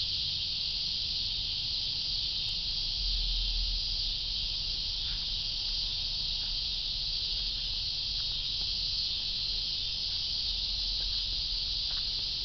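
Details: Continuous shrill cicada buzz, flat and unwavering throughout, over a soft low rumble with a few faint ticks.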